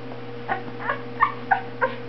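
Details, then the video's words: Two-week-old Boxer puppy giving five short, squeaky rising yelps about one every third of a second, over a steady low electrical hum indoors. "2 weeks old baby boxer"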